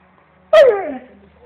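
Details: Female Alaskan Malamute vocalizing: one short, tonal, whining call that starts high, then slides steadily downward over about half a second into a fading low tail, with a person saying a word just after.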